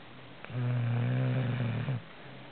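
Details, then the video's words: A dog named Chuck snores in one steady, low, buzzing drone that lasts about a second and a half, rich in harmonics. It starts and stops abruptly, with soft background hiss before and after. "Chuck Snoring"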